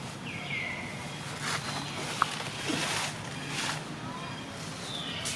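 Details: A newborn monkey crying on the ground while waiting for its mother to pick it up. It gives a clear high wail that slides downward, then another near the end, with rustling, a sharp tap and human voices behind.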